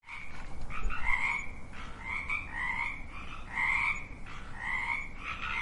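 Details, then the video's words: Frogs croaking in an overlapping chorus: nasal, rasping croaks with rising tone, several per second, callers answering one another with short gaps. "Sound of frogs croaking"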